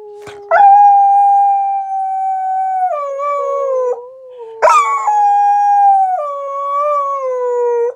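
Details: Rat Terrier and Australian Shepherd mix dog howling: long sustained tonal howls holding steady, then stepping down in pitch, with a brief break and a second rising onset sliding lower; clean, quiet background.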